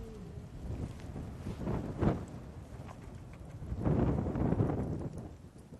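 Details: A lone lioness at sunset in Sabi Sand on 10 September 2016 gives deep, moaning contact calls, increasingly incessant, summoning her pride, which includes cubs, half-buried in strong wind.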